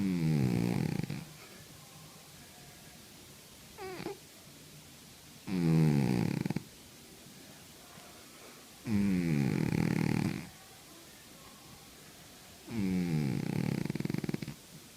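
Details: Sleeping cat snoring steadily, four long low rumbling breaths about four seconds apart with a short wheezy whistle between the first two; quiet indoor setting.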